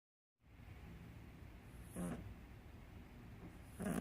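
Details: A British Shorthair cat (Felis catus) snores softly, a low steady rumble with occasional louder breaths.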